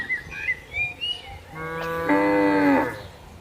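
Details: A herd of tame cattle grazing and strolling in a large plantation; a few bird-like whistles lead into one long, steady moo lasting about a second and a half that bends downward at its close.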